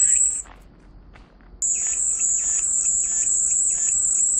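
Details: Cicada song offered as calming background sound: a steady, piercing high buzz that sounds briefly, breaks off into near silence for about a second, then returns and drones unbroken to the end, with faint lower chirps beneath.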